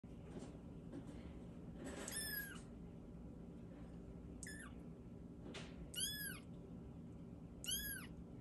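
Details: A young, not-yet-weaned female lilac van Exotic Longhair or Persian kitten gives high, thin meows that rise and fall, repeated every couple of seconds.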